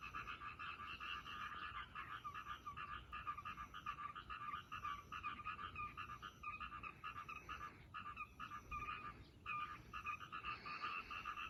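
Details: Frogs in a trackside ditch along a railway line produce rapid, grating croaks in a continuous chorus, briefly pausing and thinning around the middle before resuming.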